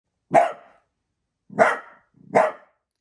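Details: A pet dachshund indoors, alert to a noise outside and urged to go investigate; three sharp, loud single barks at about one-second intervals, with silence between them.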